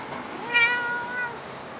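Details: Cat at Dockyard Garden, recorded 10 August 2016 shortly after six in the morning; a single clear, tonal meow lasting under a second, rich in overtones, steady then gently falling, with little else audible.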